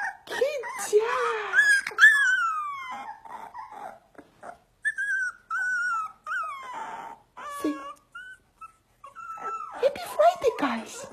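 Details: Huskies indoors vocalising in bursts of drawn-out, wavering whines and howl-like notes that rise then slide down, with short pauses between, while a woman talks to them in English and Russian.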